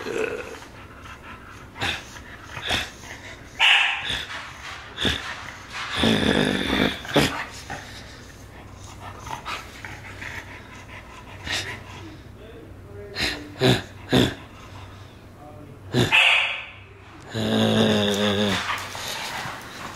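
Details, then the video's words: Pet dog playing tug of war indoors with its owner: rough, noisy growls and snorts in bursts, a few sharp barks, rattling and thumping of play, and a man's voice speaking briefly. "tug of war with my dog"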